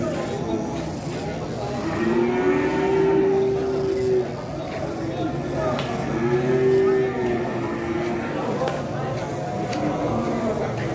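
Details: Two long, arching moos, each lasting about two seconds and four seconds apart, from a one-ton sacrificial qurban cow during truck unloading, with people talking and crowd noise throughout.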